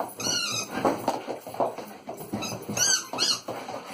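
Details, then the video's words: A lurcher barking excitedly indoors: several short, high, squeaky yelping barks with harmonic stacks, bursts near the start and again around the third second, between lower rough vocal sounds. "Barking mad lurcher"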